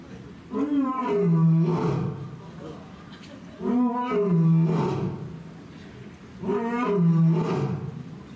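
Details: Male lion at Asahiyama Zoo in Hokkaido, Japan, roaring on 26 September 2023 while patrolling his paddock from a rock. Three powerful roar bouts about three seconds apart, each a rising groan falling into a low, sustained rumble.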